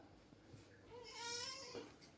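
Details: House cat making a single moderately loud meow that swells and fades over about a second, against quiet room hum and faint background noise.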